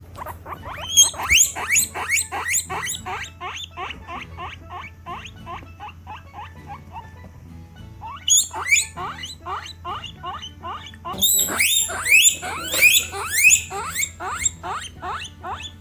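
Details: Pet female guinea pigs (Peruvian, English and Teddy breeds) calling to express what they feel: rapid runs of rising squeaky whistles, fading into softer repeats mid-clip, then bursting into louder, overlapping shrill wheeks from more than one animal.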